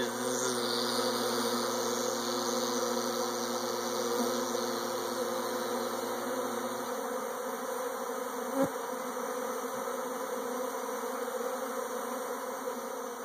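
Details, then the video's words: Honey bee swarm producing a continuous, even buzz, a thick droning hum that carries on steadily, with a low tone fading out partway and a brief knock near the end. "Bees Swarming"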